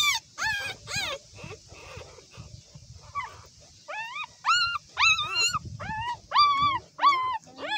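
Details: Small newborn puppies giving quick, repeated squealing whimpers, each a short arched note with bright overtones, coming in irregular bursts about once or twice a second, with soft low rustling underneath.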